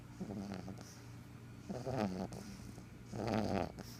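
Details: A black pug snores in rough, rattling bursts, one about every second and a half.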